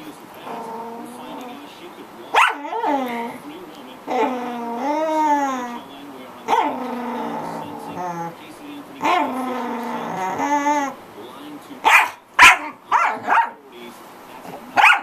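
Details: Pet corgi vocalising at length: a series of long, wavering, harmonic whines and yodel-like howls, ending in a quick burst of sharp barks.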